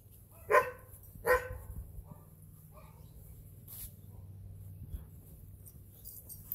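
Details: Goldendoodle named Mac, full grown, playing in the yard on Thanksgiving Day with Penny, a four-and-a-half-month-old St Bernard poodle; two sharp barks close together near the start, then a faint yip and quiet background hum.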